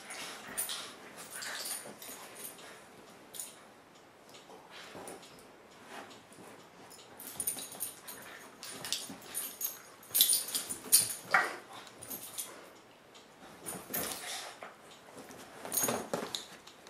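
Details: A four-month-old French Bulldog puppy and a three-year-old Basset Hound mix at play: soft scattered whimpers and yips among scuffling, panting and rustling noises, with occasional louder bursts.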